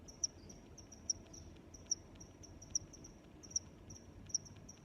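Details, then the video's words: Crickets calling at night-like stillness: a loud high chirp about every 0.8 seconds, with quieter rapid chirps from other crickets filling the gaps over low background noise. "Sounds of Crickets"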